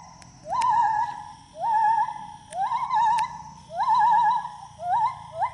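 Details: Gibbon singing while swinging through the trees: five clear hooting phrases, each sliding upward into a wavering, warbled note and then stopping, spaced about a second apart, with a few faint clicks between them.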